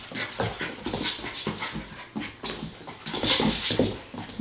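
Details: Eight-week-old Standard Poodle puppies, Periwinkle and Gruff, heard up close as quick breathy puffs and rustling bursts, panting in a rough rhythm about twice a second, with a brief louder hissy flurry near the end.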